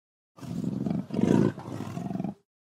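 A leopard gives a deep, breathy growl lasting about two seconds.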